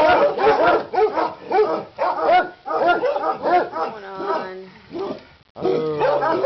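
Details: Dogs frantic over a Christmas leg of lamb in the crockpot yap in quick repeated barks, nearly two per second, then a drawn-out whining tone before barking erupts again.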